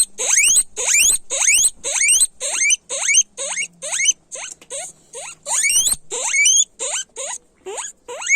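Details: Several guinea pigs squeal loudly in a fast chain of rising whistled wheeks, roughly two each second, some louder and shriller than others, overlapping slightly with a faint low hum underneath.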